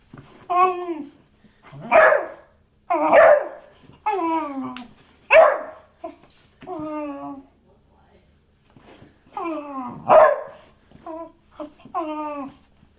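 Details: Beagle vocalizing indoors in a small room: a long series of wavering, downward-sliding baying and bark-howl notes at irregular intervals, some short and clipped, others drawn out, with brief quiet pauses.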